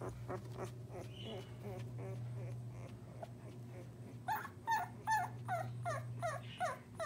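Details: Nearly two-week-old English Springer Spaniel puppies moving around give thin, high squeaky whimpers in quick bursts over a low steady hum.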